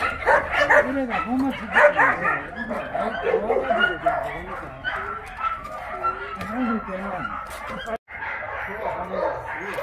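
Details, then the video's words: Exercise time for a Tosa at the Yangsan Mindeulle rescue shelter: scattered short barks and yips, roughly one every second or two, with a keeper's steady speech running over them and a brief cut near the end. "도사견 운동시간"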